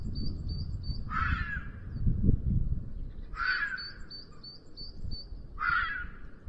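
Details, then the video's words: Red fox in heat at the end of the afternoon, Sierra de Guadarrama National Park, near a black vulture nest webcam, giving its mating-season 'chilla' calls: three harsh, hoarse screams about two seconds apart over rapid high twittering bird notes and low rumble. "ZORRO EN CELO"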